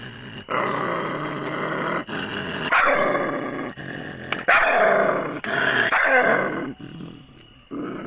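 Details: Angry, aggressive dog giving harsh, rough barks and growled bursts in long noisy runs, with loud outbursts around the middle and a quieter close.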